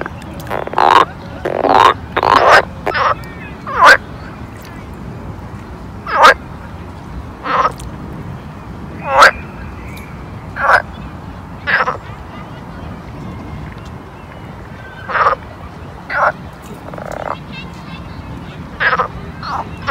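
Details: Frogs calling at a pond in summer: about seventeen short, harsh croaks at irregular intervals, several bunched in quick succession early on, then spaced a second or two apart over a steady low background hum.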